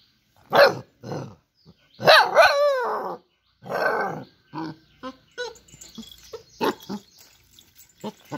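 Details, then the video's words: Dog giving loud separate barks, then a long quavering whine-howl, followed by a run of shorter barks and yips that come quicker and softer toward the end. "Cute and Funny Dog Sounds"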